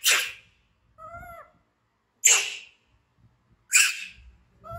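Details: Scared baby monkey BEAN, found as an orphan in the jungle by villagers, lets out rough, breathy screams about every one and a half seconds, with a short clear whistled squeal between them.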